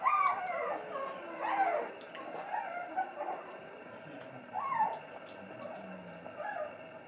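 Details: Schapendoes dog vocalising at dinner time: drawn-out, wavering howl-like cries sliding up and down, several separate phrases with pauses between them, over a low household background hum.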